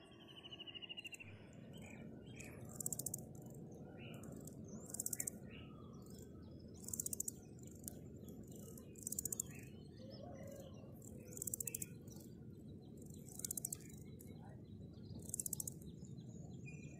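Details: Grasshoppers stridulating: short bursts of high, dry, pulsed rasping, each about half a second long, repeated roughly every two seconds at a steady pace over a low background hiss, with a few faint bird chirps near the start.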